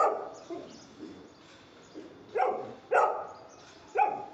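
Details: Golden Retriever in dog training, giving barks on command: quieter muffled sounds and faint talk early on, then three loud, abrupt barks in the second half, spaced roughly half a second to a second apart.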